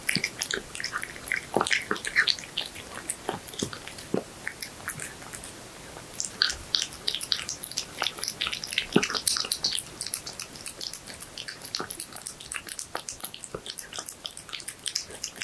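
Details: Horse meat being eaten by a cat, recorded closely indoors: long stretch of sticky chewing, smacking and crisp clicking bites, dense bursts with short gaps, quiet small-room background.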